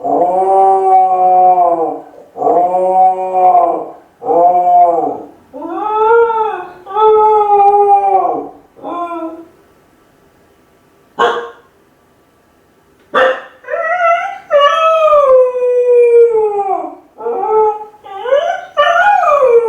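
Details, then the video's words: Home-alone Kai Ken Ichi cries and howls for its family: a run of short wavering howls, a pause with two sharp clicks, then rising and falling howls resuming, some climbing in pitch. "甲斐犬の遠吠え！🙀】留守番犬の鳴き声 ！狼みたいだけど寂しい声に切なさも感じる"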